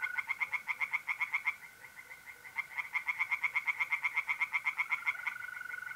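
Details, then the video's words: Tree frogs singing by night in a pond in mid-April, North-East Italy: rapid pulsed croaks repeated about four per second in runs, over a steady continuous trill from mole crickets. "relaxing singing tree frogs in pond and trilling mole crickets by night"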